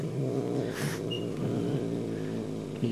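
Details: Kitten growling back at an older, dominant cat. A low, continuous rumbling growl runs throughout, with a faint hiss-like burst near the start. There is quiet background noise.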